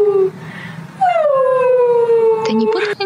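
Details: Siberian Husky named Mimi reacting to funny husky videos: after a short talking voice, one long drawn-out howl that starts high, slides down and holds steady for about two seconds, ending in a brief noisy break.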